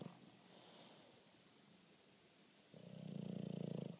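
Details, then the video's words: Bulldog named Bruce snoring away on a lazy Saturday afternoon; after a quiet stretch of soft breathing, a single rough, rattling snore rises near the end. "Snoring Bulldog"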